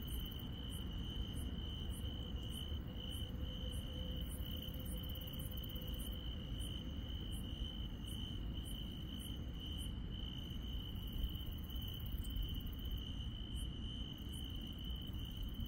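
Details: Grass insects on a rural night: a constant shrill trill is overlaid by very high, evenly spaced pulses repeating roughly every half second, with a faint low rumble in the background.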